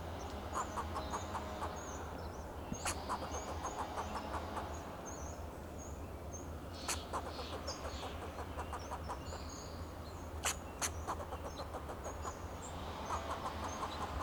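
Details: Alarm calls of a fox squirrel perched in a Monterey pine, Del Monte Forest, California, guarding itself and its territory: runs of quick dry clicks in several bursts, fairly faint, over a low rumbling background with scattered high bird whistles.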